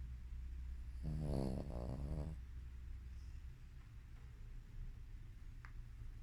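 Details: A Shih Tzu in deep sleep gives one long, rattling, wavering snore, then settles into quiet breathing.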